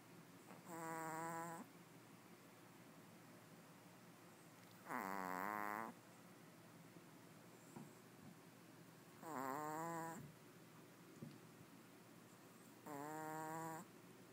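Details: A Pomeranian named Chanel snores while asleep beside two companion dogs. There are four tonal, wheezy snores, each about a second long, spaced roughly four seconds apart in a quiet room.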